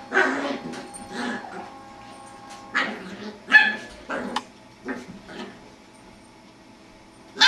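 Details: A Jack Russell Terrier puppy playing with a beagle gives short, broken yips and odd grumbling vocalizations in uneven bursts.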